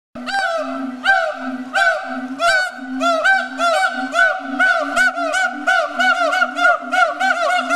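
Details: Siamangs, recorded on October 4, 2010, give loud, ringing whoops in a steady rhythm, each rich and nasal, over a continuous low droning tone.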